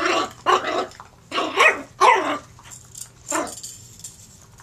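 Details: Playful puppy sounding off with five gruff, noisy bark-growls in quick succession, the last one sharper and followed by a pause, over a low background hum.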